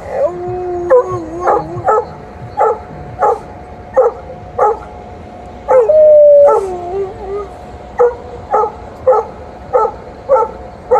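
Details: At the end of a morning walk, a female Alaskan Malamute in heat vents anger at a male Golden Retriever that tried his luck all walk. Steady clipped barks frame a sustained wavering howl midway through.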